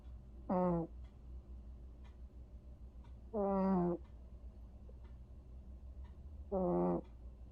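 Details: Sleeping cat snoring; three drawn-out, nasal, slightly whiny snores about every three seconds, each a rich harmonic tone lasting under half a second, with a low steady hum beneath.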